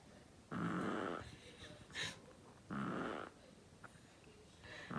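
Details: Flexi, a pet Chihuahua, snores loudly in a small room, giving two drawn-out, harsh buzzing breaths roughly two seconds apart with a short faint snort between them and a low background hiss.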